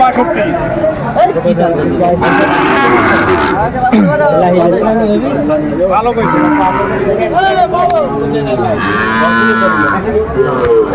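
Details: Sahiwal cattle at a Comilla, Bangladesh livestock market where a farmer buys a Sahiwal bull, 17 January 2025: repeated drawn-out arching moos, several overlapping, amid steady crowd chatter and men talking loudly.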